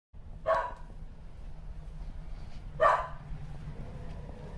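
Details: Shetland Sheepdog, female, barking at something unseen; two short sharp barks about two seconds apart over a low steady background hum, with a person softly asking what she is looking at.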